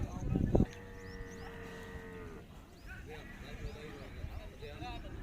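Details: A camel of a rare breed making noises: a short loud rumbling burst, then a long steady droning moan lasting nearly two seconds before fading, with faint chirping and background hiss.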